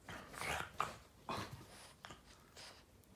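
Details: Boston terrier indoors, playing with its owner's foot, gives short sharp barks and yelps in a few quick bursts, with softer grunting noises between them.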